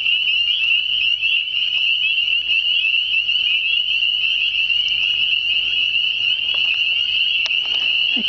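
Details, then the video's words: Spring chorus of hidden spring peepers: a constant high-pitched ringing wall of peeps from many frogs, with a brief faint human voice near the end. "Spring Singing frogs"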